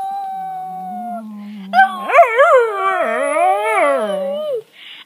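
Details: Pet dog vocalizing in a talking manner, sounding like it says "Ralph": a steady low whine, then a loud wavering howl-like phrase with bending pitch, rising and falling several times before ending abruptly.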